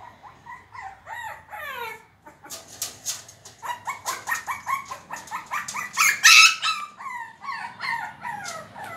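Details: A Shih Tzu puppy gives rapid, high yips and short barks, each sliding downward in pitch, while fighting with a door to get it open.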